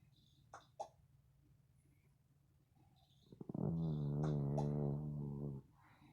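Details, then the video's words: Sleeping female dog snoring indoors: a single low, droning, buzzy snore lasting about two seconds, steady and rich in overtones. It follows a few faint clicks and soft rustles in a quiet room. "Lady Dog Snoring"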